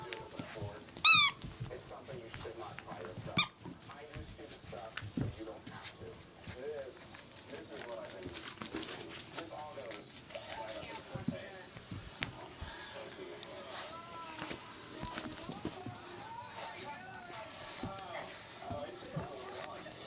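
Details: Siberian Husky pups Shelly and Ariel play fighting: two sharp, piercing high yelps early on, then a long run of whiny, grumbling vocal noises and soft squeaks with scuffling, all at a steady moderate level.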